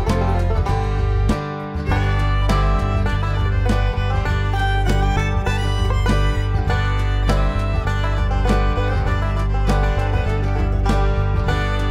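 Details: Loud guitar and banjo music with a steady beat plays at the 2020 Mirandilla festival.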